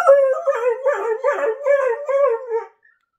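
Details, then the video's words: Border Collie 'talking' in a continuous, wavering, howl-like whine that rises and dips in pitch with rich overtones. It pulses in several short vocal bursts over about two and a half seconds, then stops into silence. "Talking border collie"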